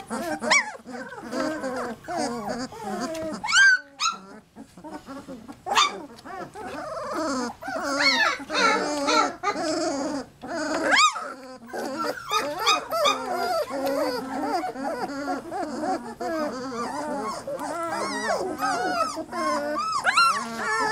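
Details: A litter of three-week-old Lab puppies in a cacophony of overlapping whines and yelps, many voices crying at once, with a person's talk mixed in over the continuous din.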